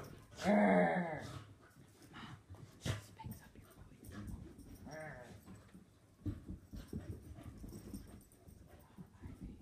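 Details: Two Soft-coated Wheaten Terriers, an adult and a puppy, play fighting indoors; a loud harmonic growl-whine rises and falls near the start, a shorter one follows later, amid scuffling, panting and a person urging one on.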